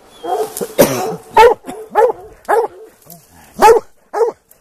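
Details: Plott hounds on a hunt for a big tom mountain lion, baying in rapid succession: rough, ringing bays about every 0.6 seconds with short gaps, with a brief human voice between calls.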